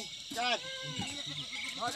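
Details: Himalayan goats in a forest near Munsyari, Uttarakhand, India: a brief nasal bleat opens, a second starts at the end, with a man talking between them.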